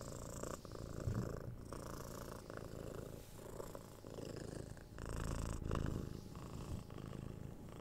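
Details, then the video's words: Contented purring of a six-month-old kitten during cuddles and head scratches, 3DIO binaural recording: a deep vibrating rumble rising and falling with each breath about once a second, growing louder toward the second half. "Cat Purring"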